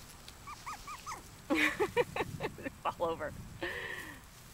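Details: Five-week-old puppies giving short rising whimpers and squeaks, first a quick series of thin upward yelps, then louder overlapping harmonic cries and whines, with faint background noise.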